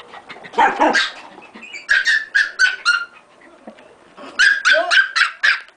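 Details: Dog barking angrily and chasing another dog that kept barking all the time; sharp, high, ringing barks come in two quick runs of four to five, separated by a short pause, with softer yaps mixed in.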